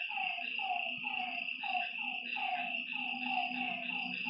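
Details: Nighttime lakeside frog chorus. Overlapping falling croaks repeat rapidly and unevenly against a constant shrill buzz of insects and a faint low hum.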